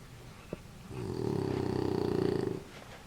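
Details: Sleeping female French Bulldog, bundled in a warm blanket after her bath, gives one long buzzy, rattling snore of about a second and a half, fluttering rapidly and evenly, in a quiet room.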